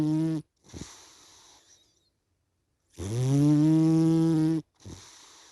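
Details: A sleepy cat snores indoors. The clip opens on the tail of a nasal drone and a hissing out-breath, then a long pause before another rasping, tonal inhale of nearly two seconds and a brief breathy exhale.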